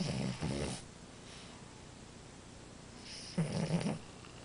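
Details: French Bulldog Amora snoring: two rough, rattling snores at the start, a quiet pause, then another throaty, buzzing snore in two pulses near the end. The room is otherwise quiet.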